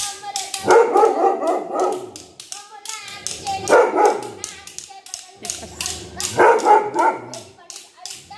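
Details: Angry dog giving three clusters of loud, rough barks roughly every three seconds, each burst a quick flurry of harsh, growly yelps with quieter gaps between.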